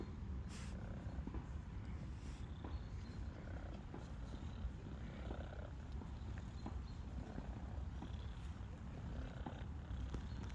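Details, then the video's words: Stray cat purring with joy while petted, having lost her fear of people in a month; a constant low throbbing rumble with scattered soft scratching sounds. "Stray kitty is happy to be petted and purrs with joy!"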